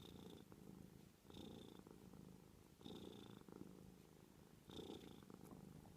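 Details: A pet cat's gentle purr, a low buzzing vibration that rises and eases in four rhythmic waves roughly every 1.5 seconds, each surge topped by a thin whistling tone, over a soft continuous rumble.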